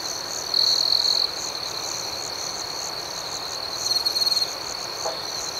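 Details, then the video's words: A close cricket trills loudly in fast pulses for under a second, then again more briefly later, over a steady nighttime chorus of many crickets, with one brief low knock near the end. "Soothing Cricket Sounds"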